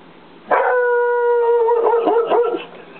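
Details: English Springer Spaniel holding a clear, steady howl for about two seconds, the note wavering and breaking into rougher pulses toward the end.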